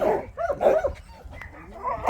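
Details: Pungsan dog at a shelter for abandoned dogs, giving short, high, bending yelps and whining barks in quick succession, the first two strongest, with softer whines trailing off toward the end.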